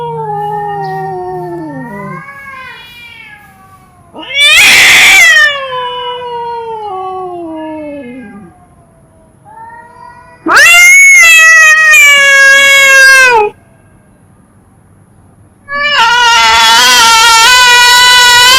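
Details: Cats and kittens meowing in a funny compilation: three loud, drawn-out harmonic meows spaced several seconds apart, the first sliding downward, the later ones strident and wailing, with quieter mews between.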